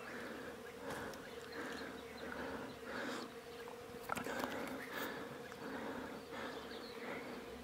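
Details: Wild mountain honey bees in rural Iran, agitated as their hive is separated from a bush and bagged: a thick, unbroken drone of many bees with pulsing swells, plus occasional crackling handling noises.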